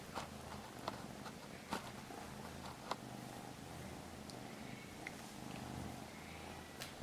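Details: Soft, continuous low purring from a Norwegian Forest cat in a small room, rising and falling with each breath, broken by a few sharp taps and faint handling noise.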